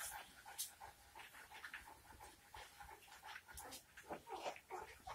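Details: Nineteen-day-old St. Bernard puppies making short, thin whimpering squeaks in quick uneven succession, with soft rustling and panting-like breaths between them.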